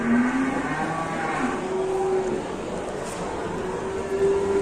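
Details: Ploughing cattle in Indonesia misbehaving at work during the seventh round; drawn-out tonal lowing rises briefly, then holds level, with a second steady moo near the end over constant engine-like background rumble.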